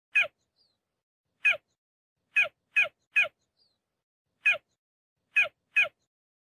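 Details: Cheetah calling: short, sharp, bird-like chirps with a harsh edge, given singly or in quick pairs at irregular gaps of about one second, against a silent background.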